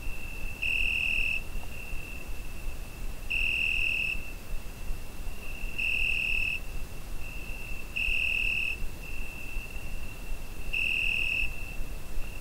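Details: Cricket calling through a summer night, taken with a Zoom H5: a steady high ringing drone punctuated by five louder, brighter bursts, roughly every two and a half seconds, each under a second, above a low soft rumble.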